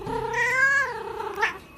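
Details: Cat refusing a bath, one of a set of strange cat sounds: a single drawn-out nasal yowl that swells and holds, then slides down, ending in a brief higher squeak.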